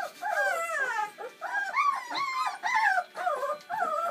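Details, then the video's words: Bernese Mountain Dog puppies, a litter of seven born on Valentine's Day 2013, at their first feed on Mothering Sunday: high, wavering whines that rise and fall, in bursts roughly every half second to second, with soft voices nearby. "Bernese Mountain Dog's 1st ever feed"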